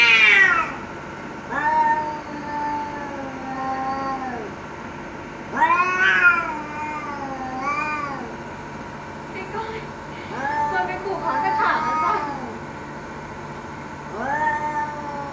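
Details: Fighting cats trade a string of wavering threat yowls, some overlapping, each lasting one to two seconds, with faint clicks and rustling in the gaps.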